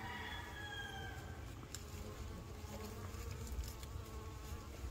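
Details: Busy working honey bees produce a continuous low, even buzz throughout, with a faint far-off rooster crow near the start.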